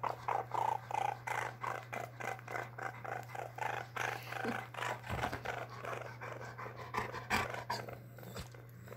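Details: Baby pet raccoon Koopur, indoors, 5/19/2020, purring in a fast regular pulsing rhythm of about three beats per second, broken by a few brief louder clicks and knocks, over a constant low hum.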